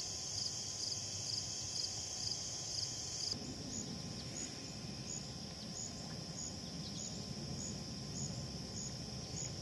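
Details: A Slightly Musical Conehead katydid stridulates in high, dry, buzzy zips about twice a second over a steady insect hum, at Assabet River National Wildlife Reserve, Maynard, Massachusetts.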